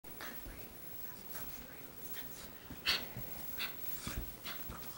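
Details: An 11-month-old Boston Terrier and a 3-month-old French Bulldog play together, snorting, panting and huffing in short, uneven bursts, with a few sharp breathy snuffles.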